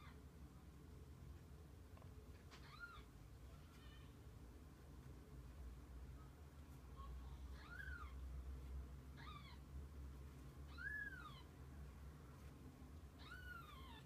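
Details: Mother cat and kittens spend the day together. About six rising-falling meows with bright harmonics arrive at irregular intervals, a couple of seconds apart, against a low background rumble.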